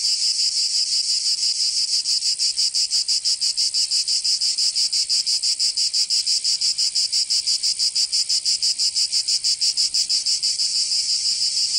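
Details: Summer cicada chorus in Provence, in the south of France. A loud, sizzling high-pitched drone throbs in even beats roughly three per second, constant from start to finish.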